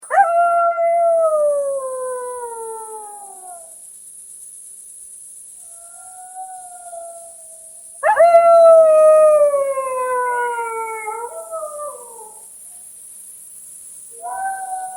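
A golden jackal gives long, wavering howls that slide slowly downward in pitch.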